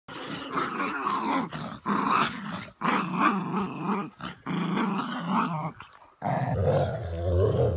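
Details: Chihuahua growling steadily while playing tug-of-war with another dog, a low rough rumble sustained in long stretches with brief breaks, noisy and continuous throughout.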